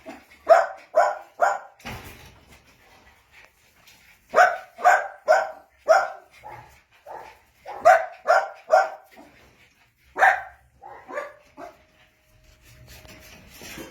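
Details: Jack Russell Terrier puppies at play yap in rapid clusters of sharp, high barks, about two per second, broken by short pauses and a few softer yips indoors.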